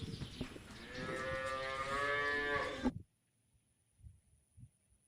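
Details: A cow grazing freely in pasture gives one sustained, deep, throaty moo of about three seconds that breaks off sharply, followed only by faint thumps: cow.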